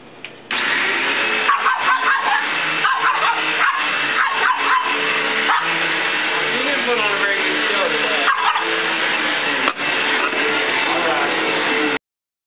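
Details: Female pug barking repeatedly at a running vacuum cleaner indoors, sharp bursts clustered over the first few seconds and again later, set against the loud steady droning hum of the vacuum, with some human speech.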